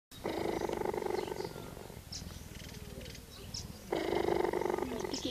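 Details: Cheetah at Rhino & Lion Nature Reserve, Krugersdorp, South Africa, purring in two rough, throbbing bursts of steady rapid pulses, about four per second, the first lasting nearly two seconds and the second starting near the end, with faint high chirps between.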